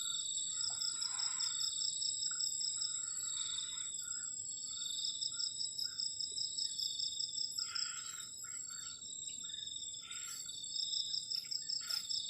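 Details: Crickets chirping on a cold night by a garden shelter during solo camping, a continuous high pulsed trill in bursts of several seconds, with a second steady high tone and occasional soft rustles.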